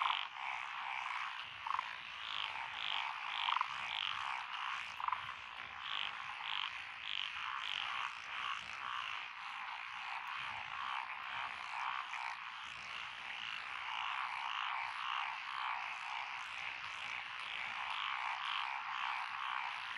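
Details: Frogs of several species call together in lotus rice paddies in Echizen, Fukui, Japan, on 12 June 2021, among them black-spotted pond frogs, wrinkled frogs and forest green tree frogs. Dense, throbbing croaks repeat rapidly and blend into one continuous chorus.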